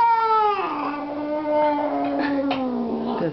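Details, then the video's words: Edward the talkative house cat lets out a long crying meow that starts high, drops quickly after half a second, then holds a low, steady, slightly wavering tone for nearly three seconds. "Crying cat"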